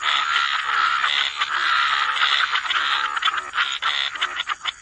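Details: Dense chorus of many frogs croaking together by the waterside, overlapping harsh pulsed notes around mid pitch blending into a continuous wall of sound, with a steady high insect-like hiss above.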